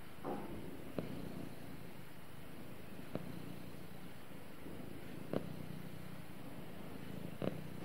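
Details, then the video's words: Domestic cat snuggling with its owner, purring: a low, steady rumble filling the room, with brief soft clicks roughly every two seconds over a faint indoor hiss. "Cute Cat Snuggles With Owner And Purrs"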